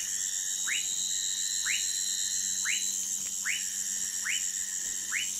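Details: Orinoco lime tree frog calling in Amazonas, Brazil, with six short upward-flicking chirps at a steady pace of about one per second, backed by a loud high insect chorus and a low constant hum.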